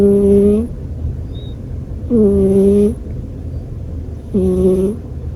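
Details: Pet American Shorthair cat snoring: three tonal, nasal, harmonic breaths about two seconds apart, each with a brief airy hiss, over a steady low hum.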